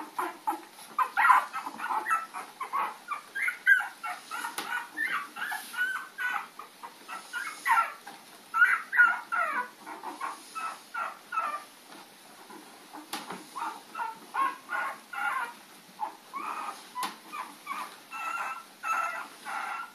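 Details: Puppies chasing an adult dog, recorded April 4, 2013: a rapid run of high, harmonic yips and whines in uneven bursts, sometimes several a second, with short lulls throughout.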